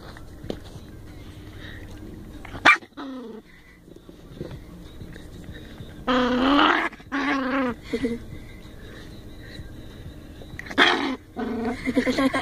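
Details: Chihuahua giving a short sharp yap early on, then loud harsh bursts of snarling barks with clear stacked overtones through the middle, and a final rasping bark, separated by quiet low background hum.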